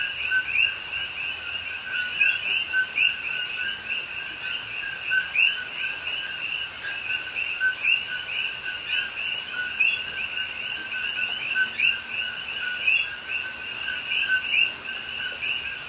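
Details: Many coqui frogs in a rain-soaked Hawaii rainforest at night, Pahoa, October 2021, keep up a thick, pulsing chorus of paired notes, a lower tone and a higher rising chirp, repeated several times a second across the whole stretch.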